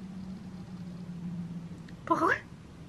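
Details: Butters the cat lets out one brief rising, harmonic 'mreh' against a faint constant low hum.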